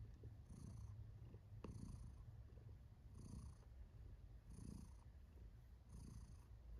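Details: Female cat Kiwi purring happily, a low, even rumble with rhythmic breath-driven surges about every one and a half seconds and one brief soft click; close and calm.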